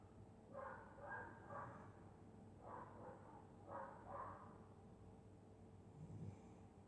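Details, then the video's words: Sleeping dog snoring through a winter night in Scotland: breathy, nasal bursts come in paired groups roughly every one and a half seconds, a slow breathing rhythm over a constant low electrical hum. "Dog snoring in Winter night"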